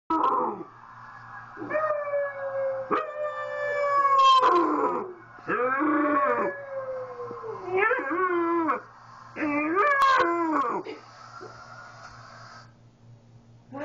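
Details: A 13-week-old Newfoundland puppy gives a series of quavering, rising and falling howls in reaction to fire trucks, whose siren is the steady background wail.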